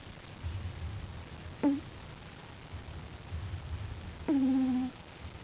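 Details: Snoring five-week-old puppy asleep on his back: soft low breathing rumbles broken by two thin squeaky whistles, the second held for half a second, in a quiet room.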